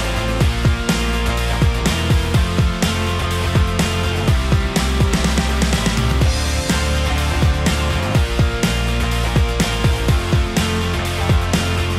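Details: Loud rock music with driving guitars and heavy drums plays throughout, with no animal sound heard.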